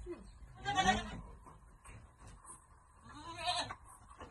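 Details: Goats at Amang Victorio Goat farm while being given vitamins: two short quavering bleats, one near the start and another about three seconds later, over faint background noise.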